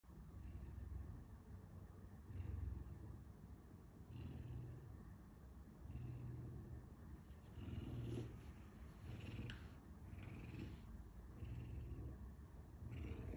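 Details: Pet puma (mountain lion) kept at home, making a low rumbling purr in steady bursts roughly every two seconds, with faint background noise.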